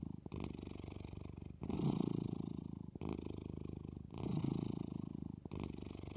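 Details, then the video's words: Cat purring close up, a low rumbling vibration that swells and fades with each breath, roughly every one and a half seconds, louder and rougher on alternate phases, with no other sounds present. "Cat is purring"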